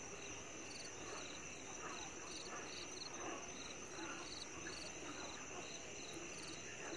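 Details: Chinese tree frogs calling on the Zhangshu (camphor tree) trail at Maokong, 2 May 2020: short nasal pulse bursts repeated about every half second, with steady high insect trilling and broad background noise.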